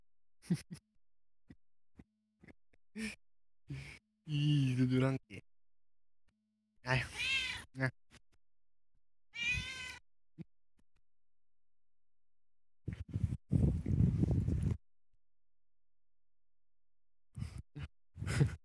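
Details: A tame female neighbour cat meows several times, the calls short and wavering, among a person's speech and scattered clicks and rustles, with a burst of low noise near the end.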